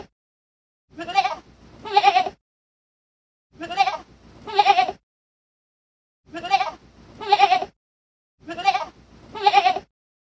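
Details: Young goat kid calling with paired bleats, each pair a short quavering note followed by a longer one, repeated four times across ten seconds with clean silence between.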